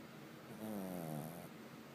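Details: Sleepy pet pug snoring indoors: a single soft, low rasping snore lasting under a second, with a gently falling hum, against a quiet room.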